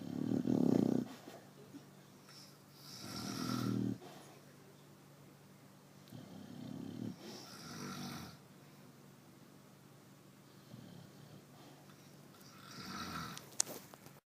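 A Chow Chow snores in deep, rasping breaths, each rumbling inhale followed by a softer exhale.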